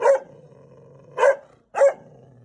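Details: Angry mother dog at home, upset by a stranger coming to the house: three single harsh barks spaced about a second apart, with a low steady hum beneath and an echoing room sound.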